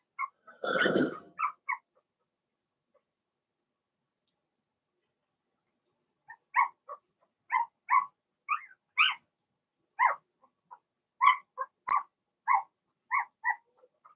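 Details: Blenheim Cavalier King Charles Spaniel puppies from a litter of six, born March 7–8, in an indoor puppy pen during potty training; one short harsh yelp, then a quiet pause before a steady run of short, clipped, high yips.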